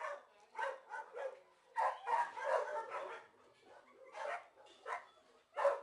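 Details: Shelter dog in a kennel at an animal shelter, giving a run of short, harsh barks, about ten over six seconds, some coming in quick pairs, in a quiet indoor setting.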